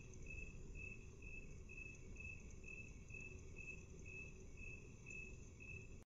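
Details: A cricket's chirps slowed to half speed: regular high-pitched pulses, around a dozen, spaced about half a second apart over a low hum, cutting off abruptly near the end.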